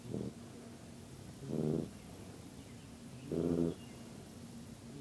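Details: Sleeping yellow Labrador puppy giving three rough, buzzing snores, each under half a second and spaced roughly one and a half seconds apart, with a faint constant hum beneath.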